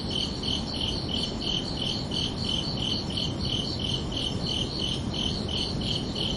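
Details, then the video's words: Crickets chirp beneath a peaceful night sky in summer, short high-pitched pulses repeated roughly three times a second in a regular train, backed by continuous low ambient rumble. "Calming Cricket Sounds for Relaxation"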